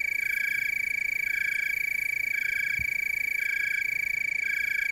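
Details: Tree cricket chorus recorded in the Willamette Valley, Oregon: a steady, unbroken high-pitched trill with a fainter rhythmic layer that swells and fades about once a second. No other sounds stand out.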